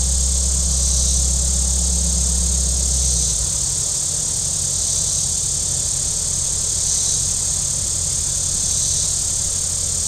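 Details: On a very warm day at Table Rock Lake in southern Missouri, shoreline cicadas keep up a continuous high, sizzling drone. A low boat engine rumbles for the first few seconds, then drops away and leaves the insect chorus.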